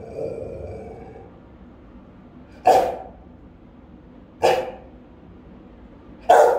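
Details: Three deep, forceful barks spaced about two seconds apart from a Rottweiler keeping watch over the house, one of three dogs recorded by camera, with a faint hum and low background noise between barks.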